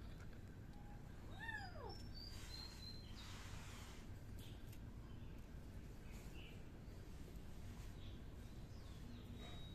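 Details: Miu, a kitten, gives one short meow that rises then falls, with fainter overtones above it, over a steady low rumble of background noise and a few faint high chirps.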